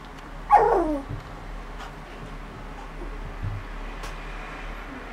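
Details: Border Collie puppies, three weeks old, from a litter born 29 August 2014 and filmed 19 September 2014. One sharp, high whimper slides quickly downward near the start, followed by a quiet room with faint soft rustles.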